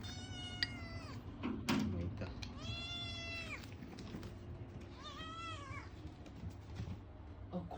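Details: Food-begging cries from a male Ragamuffin kitten, a chatty, demanding cat: three separate arched meows spaced about two seconds apart, each rising then falling, with a sharp click and low room hum between them.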